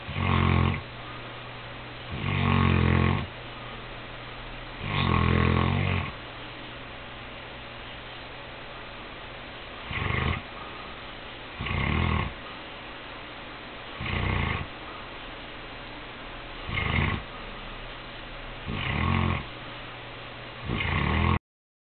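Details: Saint Bernard dog asleep the night before Christmas, snoring indoors: deep, rumbling snores in bursts roughly every two to three seconds, some longer and louder, others short, with quiet breathing between.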